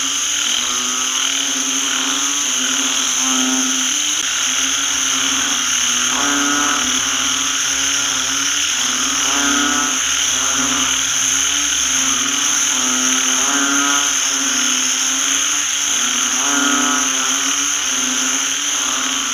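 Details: After rain, banded bullfrogs fill a rice paddy with sound. The chorus is dense, with deep harmonic croaks repeated unevenly several times a second by many callers, over a continuous high ringing drone.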